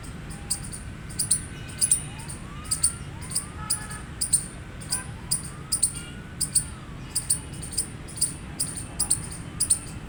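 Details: Loud squawking chirps from a gray squirrel come in a steady series, roughly two per second, each short and hard-edged, over a constant low hum with soft rising and falling whistled tones in the background.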